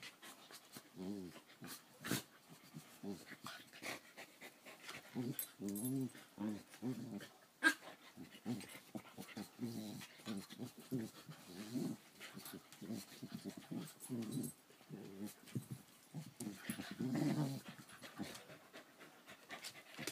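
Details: Two Keeshonds play wrestling, recorded June 1, 2014; bursts of low, rumbling growls come in short, irregular runs throughout, mixed with panting, scuffling, and a few sharp clicks and knocks.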